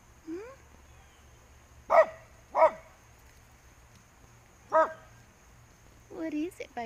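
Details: Dogs fence racing: a short rising whine, then three loud sharp barks spaced under a second to two seconds apart, ending in a cluster of higher yelps and whines, with a faint steady high hum.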